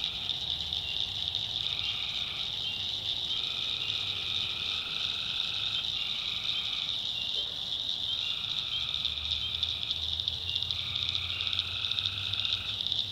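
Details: Night chorus of tree frogs in a North Carolina backwoods swamp. One-to-two-second trills repeat at irregular intervals against a continuous high-pitched insect drone and a faint low rumble.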